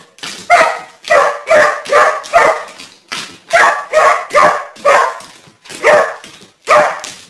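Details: Dog chasing a deer around a garden, barking in a steady run of sharp, loud barks, about a dozen in seven seconds, each bark short and ringing with little pause between.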